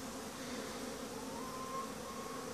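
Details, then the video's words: Honey bee colonies in Langstroth-Root hives on a midday winter cleansing flight, clusters still in the lower box. A continuous low, thick drone with stacked harmonic bands and a thin whine across the middle, steady in loudness. "Зимно облитане на пчели"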